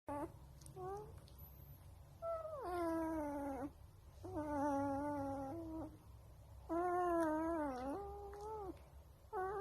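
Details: Wolf pup giving drawn-out, harmonic whining howls, each about one second long, with a slight wavering and downward fall, repeated in three main bouts with short yips between them.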